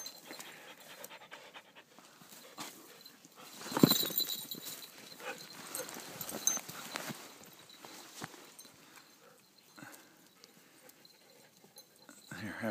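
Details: Pet poodles, among them Lucy, Chloe and Margo, playing, with a frisbee mentioned. Rough, breathy panting comes in irregular bursts over steady rustling and scuffling. A sharp knock lands near four seconds, and the sound swells again at the end.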